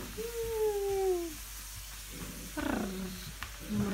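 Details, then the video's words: English Springer Spaniel, recorded 5 February 2017, letting out a long, thin whine that slides slowly downward for about a second, followed by shorter, lower whimpering sounds. "английский спрингер спаниель"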